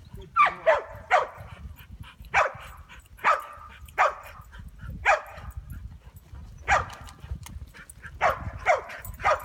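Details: Chow Chow mix named Ronin barking while trying sheep herding, sharp barks repeated irregularly about every second, with a low rumbling background.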